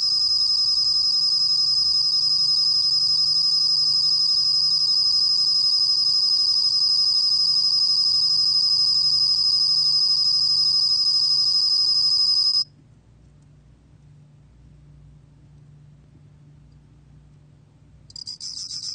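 A bell cricket sings a high, pure, rapidly pulsed trill that holds steady, stops, then starts again.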